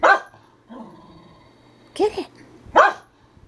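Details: Herding dog barking in short loud bursts, one at the start and two near the end, with quieter sounds between and a person egging it on.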